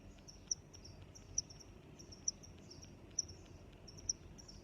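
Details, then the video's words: Cricket chirping outdoors: high, thin chirps running continuously, punctuated by five crisp clicks spaced just under a second apart, with soft low environmental noise underneath. "Sounds of Crickets"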